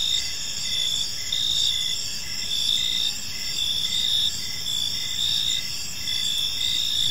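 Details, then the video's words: In a quiet park at evening, crickets keep up a bright, high-pitched trilling chorus, steady underneath with rhythmic louder pulses rising and falling every second or so. "Cricket Sounds in a Peaceful Park"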